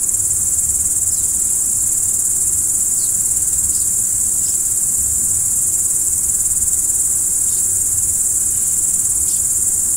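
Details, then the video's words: Crickets at night sustain a thin, high, ringing trill throughout, joined by a handful of faint, quick ticking sounds above it and a faint low-frequency hum. "Stars at Night BLACK B/G - Video & Audio Crickets"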